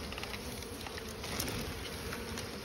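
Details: Asian honey bees, small honey bees, at a nest built inside straw while people prepare to cut out the honeycomb; a dense, steady, continuous buzzing hum fills the clip, with faint voices nearby.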